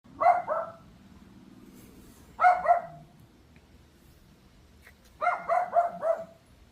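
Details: At 3:46 pm on July 26, a Pomeranian gives loud, sharp, high-pitched yapping barks in quick bursts of two to four.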